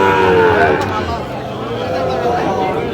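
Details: Sahiwal breed bull cattle in Kushtia on 5 August 2025, bought by a farmer; one drawn-out, falling low moo at the start, then men talking and bargaining nearby.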